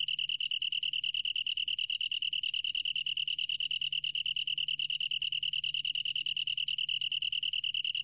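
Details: Continuous high trill of a Long-tailed tree cricket (National Institute of Biological Resources, 2020), made of fast regular pulses at a constant pitch, ringing on without pause, with only a low faint hum beneath.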